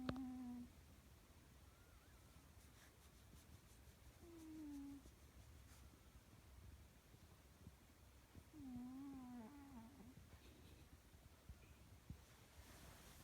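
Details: Sleeping pet cat snoring quietly. Each breath gives a wavering, slightly whistling nasal tone that dips and rises. Three snores come about four to five seconds apart over faint room noise.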